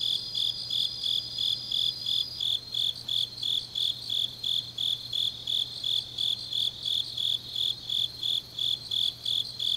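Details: Grass insects on a deep autumn night in Changnyeong, South Gyeongsang, South Korea: high, even chirps pulsing about three times a second, with a thin steady whine above for the first two seconds and a faint low hum beneath.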